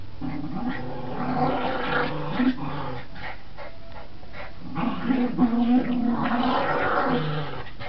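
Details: Border Terrier at tug play, giving throaty, rumbling growls in two main bouts with a quieter stretch between, over busy scuffling sounds of the game.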